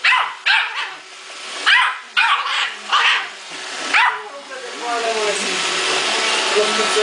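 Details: Muffin the male Yorkshire Terrier fighting an iRobot Roomba: a cluster of rapid, sharp barks at the start, then quieter whining tones with a person talking over the machine's hum.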